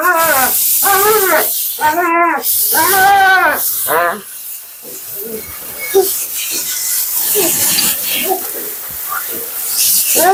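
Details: Mila, a talkative female Siberian Husky on her second-ever groom, vocalizes during her bath: a run of arched, wavering howl-like syllables rising and falling over about four seconds, followed by hissing water spray and quiet human voices.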